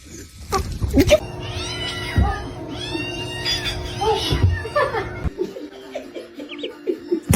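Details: A pet cat gives wavering, drawn-out meows and caterwauling cries over about five seconds, mixed with people talking, laughter and background music.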